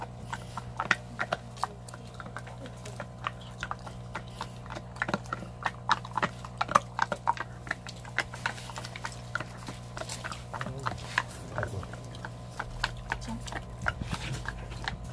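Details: A large Belgian Malinois gnaws a cow bone with sharp, irregular cracks and crunches over a low steady hum.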